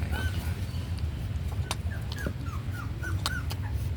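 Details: Slow-growing puppy fed on milk powder makes a string of short, thin, falling whines at a steady pitch, about eight in four seconds, over a constant low hum with a few clicks and knocks.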